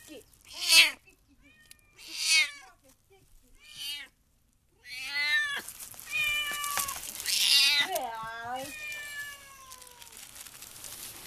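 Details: Domestic cat giving birth to her third kitten: three short separate meows, a pause, then a run of longer wavering, falling cries, with a person softly coaxing nearby.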